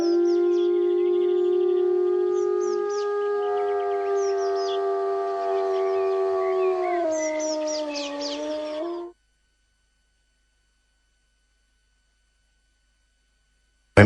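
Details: Iberian wolf in Spain giving a long, smooth, sustained howl that slowly falls in pitch over about nine seconds and ends abruptly, with faint high bird chirps scattered above it, followed by silence.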